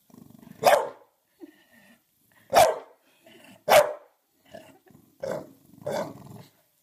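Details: Bulldog wearing a cone, barking at his own reflection in a mirror he cannot recognise: loud, sharp barks at irregular intervals, some with a growling edge, about six in under seven seconds, with softer low grumbles between.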